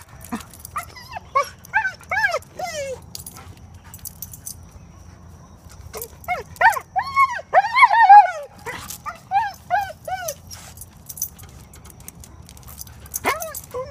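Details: Female German Shepherd/Collie mix, before training for dog reactivity: bursts of high, arching whines and yelps in rapid runs, separated by quiet pauses.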